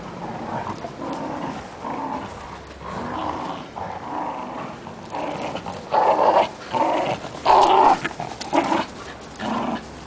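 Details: Playful growling between a small female Fox Terrier named Rani and a Great Dane named Cookie, the terrier stubborn and the Great Dane playful; rough, throaty growls in uneven bursts, louder and more intense in the second half.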